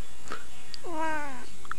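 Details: Domestic cat giving a single drawn-out meow of about half a second, harmonic and falling in pitch at the end, in a quiet indoor room, preceded and followed by brief soft clicks.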